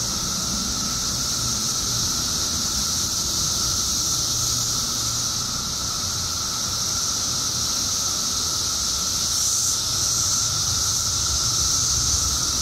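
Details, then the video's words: Illinois periodical cicadas, billions surfacing after 17 years underground, produce an unending piercing drone that swells slightly near the end, layered over a constant lower hum and faint low rumbling. "Periodical Cicadas Emerge After 17 Years Underground Cicadas Making Noise"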